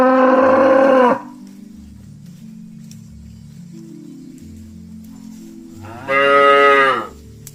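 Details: Cattle from a herd of dozens heading back to the pen in the afternoon give two strong, harmonic-rich moos about five seconds apart, with soft stepped music playing between them.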